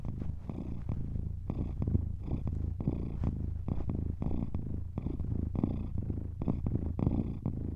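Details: A domestic cat purring steadily, a deep rumbling drone pulsing in a regular in-and-out breathing rhythm, each cycle under a second, with faint clicks at the phase changes.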